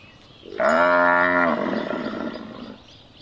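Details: Cattle mooing, a sound played to find a lost calf: one loud, steady, harmonic-rich moo lasting about a second, followed by a softer trailing tail and quiet background.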